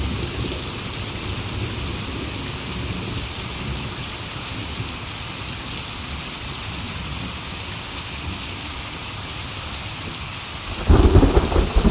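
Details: Steady heavy rain hissing across the whole stretch with a constant high tone, then a sudden loud crackling burst near the end; no animal calls heard.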